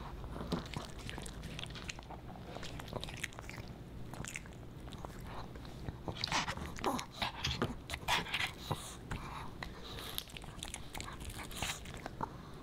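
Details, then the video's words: Boba Bear, a Pomeranian puppy, munching dog-friendly fish and chips; crisp crunching bites coming in quick clusters, louder toward the middle, in a quiet small room. "Animal Mukbang & ASMR: Puppy Dog Eats Fish N' Chips"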